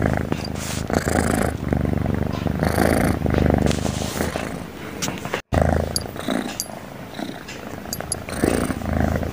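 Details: Cute cat snoring nonstop while asleep: low, rattling breaths in a steady in-and-out rhythm, with a brief silent break midway and faint high clicks near the end.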